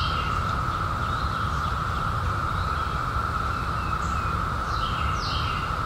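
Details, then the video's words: Steady humming drone of cicadas from the 2021 seventeen-year emergence, unchanging in pitch and loudness, with occasional soft bird whistles and chirps and a persistent low rumble. "CICADAS 🌿 Sounds"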